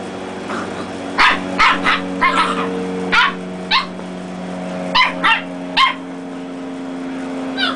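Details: Dachshund puppies, reds battling black and tans in play-fighting; sharp high yips and barks in short clusters, roughly a dozen across the stretch, over a constant low electrical hum.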